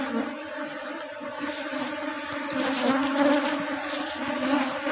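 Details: Buzzing of a managed honey bee colony during work to reduce its drones and head off colony splitting; a continuous droning hum with steady low tones beneath a broad hiss of many wingbeats, gently rising and falling.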